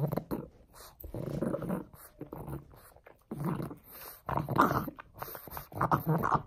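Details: Frank, a pug happily working on a bone, growls in low throaty rumbles that swell and fade, some bursts rising into brief whiny tones, heard in a small room.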